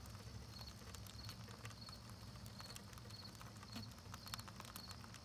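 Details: Scattered crisp ticks and crackles from bees chewing propolis, set against a regular high-pitched chirp pulsing roughly twice each second and a deep background hum.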